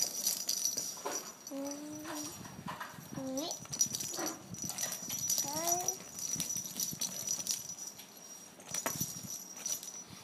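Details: A Bengal kitten playing with a ball inside a food cover gives a few short, tonal meows over a steady jingling rattle.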